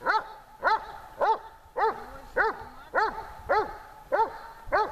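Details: Tashik, a dog in dog training during summer heat in Horlivka on 26 July 2020, gives sharp, evenly spaced barks, about nine in five seconds, each short and ringing with a slight rise and fall, over a quiet background.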